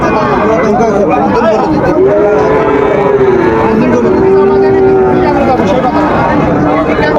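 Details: At Raniganj market, Dinajpur, on 10 July 2025, a Sahiwal bull calf gives one drawn-out, level moo lasting about three seconds. Loud bargaining voices and crowd noise run throughout.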